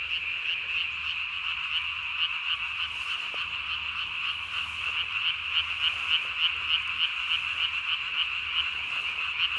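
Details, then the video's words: Japanese tree frog calling at night, 3 May 2020, with the vocal sac under its chin swollen to body size; rapid, regular high-pitched croaks, about three to four per second, over a steady background chorus. "밤에 우는 청개구리 울음판이 몸통 만큼 크네요?"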